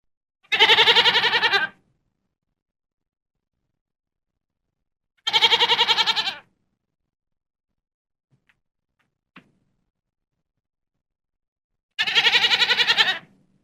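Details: Goats: three separate bleats, each about a second long, with a strong quavering, pulsed tremolo and rich layered harmonics, spaced several seconds apart over silence, with a faint click between the second and third.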